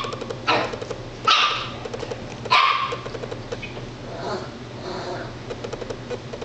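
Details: Female Italian Greyhound frightened by her own reflection, giving three sharp high barks about a second apart, then softer grumbling, over a constant low hum.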